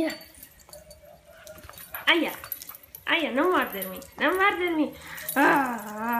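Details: American Cocker Spaniel at play with a ball, uttering a series of arched, rising-then-falling whines about once a second, with Italian speech from a woman in the background.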